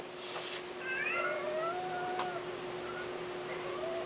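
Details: Persian and Himalayan cats, male and female, kept for mating. A clear drawn-out meow glides downward, then a quieter short mew follows near the end, over a constant indoor hum.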